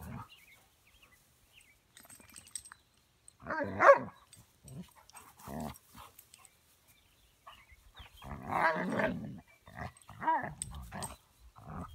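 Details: Two dogs at play, Buddy the nearly 20-week-old puppy and Boomer, giving scattered short growls and yips separated by silences, with a longer grumbling burst near the end.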